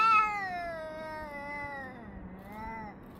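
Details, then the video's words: Cat yowling at another cat, recorded 3 Av 5785 around 6:01–6:04 summer time: one loud, slowly descending moan, followed by a softer, rising-then-falling wail under a faint low hum. "חתולים מייללים זה לזה Cats are yowling at each other"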